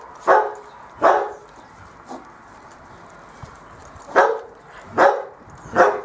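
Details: Bearded Collie puppies of the M litter at play on a roof terrace, giving five loud, bright yappy barks, two close together at the start, a soft one in the middle, then three more spaced under a second apart.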